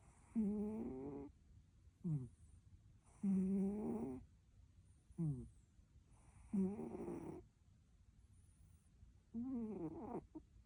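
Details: Snoring cat while sleeping: six rhythmic nasal snores, longer drawn-out inhalations alternating with brief falling snorts, roughly every one and a half to three seconds, with a quiet gap near the end.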